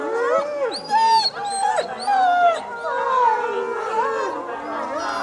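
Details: Wolves howling in chorus at Asahiyama Zoo, Japan, on 8 March 2012 at 15:15, responding to the women's closing announcement; several overlapping wavering voices rise and fall, with a few sharp yelps mixed in.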